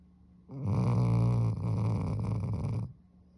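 A sleeping Vizsla puppy gives one long, low snore with a rattling, fluttering texture. The rumble swells quickly, holds steady for over two seconds, then fades into quiet.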